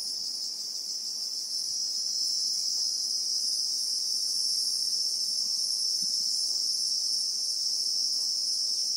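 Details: Bushveld in South Africa with Christmas beetles (Anoplognathus): a loud, steady shrill buzz that swells slightly after the first second and then holds evenly, with an occasional soft tick below.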